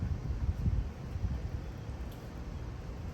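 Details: Steady low rumble of wind or a fan fills the recording with no animal calls heard.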